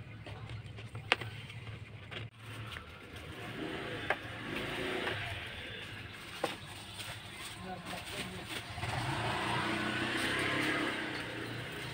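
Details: Outdoor street scene with people talking over the steady rumble of passing cars and engines revving, growing louder toward the end, with no animal voice heard.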